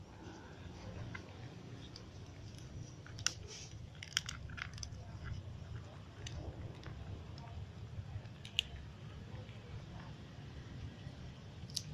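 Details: Quiet indoor room with soft crunching and chewing of crackers, a few sharp clicks and a low steady hum, with no animal calls heard.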